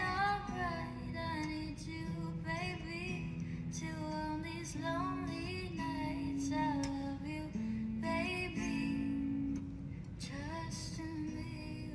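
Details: A female voice sings over guitar accompaniment throughout, with no animal sound audible.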